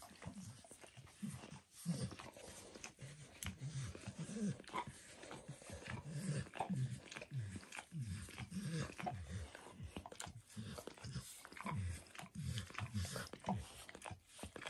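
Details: A dog keeps licking during self-grooming indoors, moving between its own paws and a person's foot and leg. Steady, fast, low wet lapping continues almost without pause, with occasional sharper clicks.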